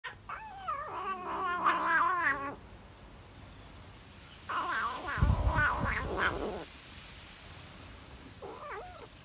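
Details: Tabby cat eating cheese and enjoying every bite, giving two long wavering, warbling moans with rich harmonics, then a short rising murmur near the end; quiet room between bursts.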